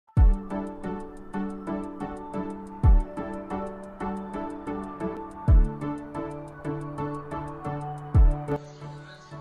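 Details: Soft piano-like music with a steady beat and regular low thumps plays throughout, and no animal voice is heard.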